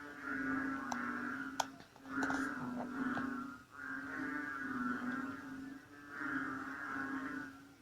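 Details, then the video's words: Frogs calling from bushes beside tropical jungle in North Borneo, recorded at 8 pm in rainy, cold, dark weather; a dense chorus of deep, droning, humming croaks swelling and fading in overlapping bouts about every two seconds, with faint clicks. "AUDIO SOUND OF BORNEO FROGS ( BUNYI ASLI KATAK BORNEO )"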